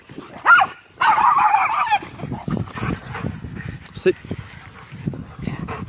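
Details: Feisty Miniature Schnauzer during play, giving a short harmonic yelp followed by a drawn-out, wavering grumbling whine, then quieter scattered noises and low background chatter.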